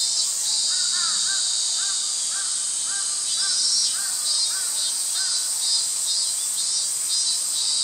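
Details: On 11 August 2012 in Japan, cicadas keep up a steady, shrill, high buzzing with a faint pulsing throb. Young sparrows chirp below it in short repeated notes, about two every second.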